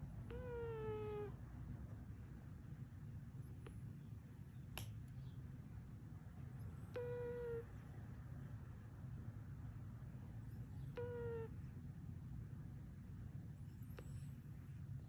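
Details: A sleeping British Shorthair (Chartreux) cat snores with thin, squeaky whistles repeating every few seconds, recorded May 11, 2021.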